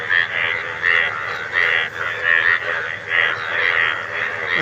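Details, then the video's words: Several frogs calling together, one starting and the rest joining in; a dense chorus of harsh, pulsed croaks repeated in rapid bursts, with louder swells roughly every second against a steady background din. "আশ্চর্য ব্যাঙ এর আওয়াজ"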